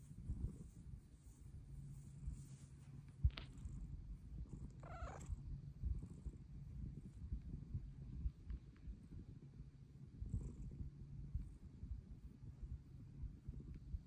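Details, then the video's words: Bengal cat Luna purring while seeking pets, her purr louder as she gets older: a steady low rumbling purr throughout, broken by a brief chirp and one short wavering meow about midway. "Pretty kitty meows for pets!"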